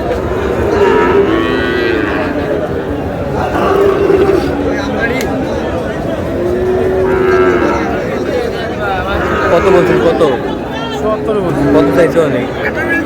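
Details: Cattle at a busy Gaibandha market on 30 July, where a farmer buys a Sahiwal bull calf. Several drawn-out mid-pitched moos rise and fall every two to three seconds over dense crowd chatter and haggling voices.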